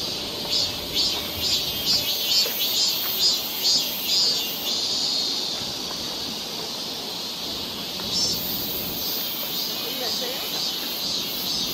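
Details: Cicadas on a summer forest trail in Seoul, Korea, giving rhythmic pulsing high buzzes about twice a second for several seconds, then merging into a steady shrill drone.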